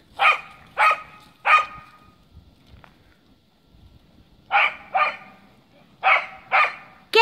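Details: Cardigan Welsh Corgi zooming about in the snow: three sharp barks in a quick burst, a short lull, then two pairs of loud barks, with another bark cut off at the end.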